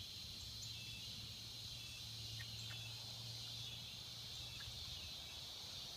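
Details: Cicadas in the swamps, a continuous high buzzing drone filling the upper range without pause, with a low steady hum beneath and a few faint brief chirps.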